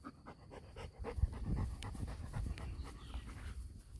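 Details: Six-week-old male Golden Retriever puppy panting softly: quick, rhythmic breathy puffs repeating several times per second, with a low rumble of handling noise underneath.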